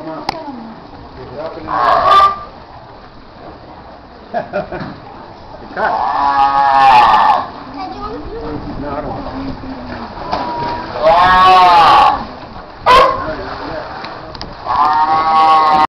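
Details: Seals at Morro Bay give drawn-out, nasal bawls with rich harmonics, each about a second long and recurring every few seconds, while people nearby talk and throw them food.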